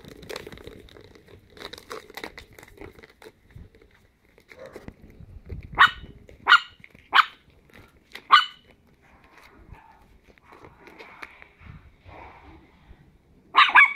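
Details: Chihuahua puppies, ten weeks old, playing indoors; a run of four sharp high barks in the middle, then quieter scuffling and whines, and one more yap at the end.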